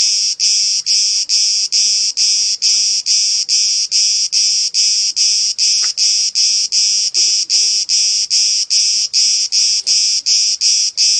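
A cicada gives loud, harsh buzzy pulses, repeated steadily a little more than twice a second.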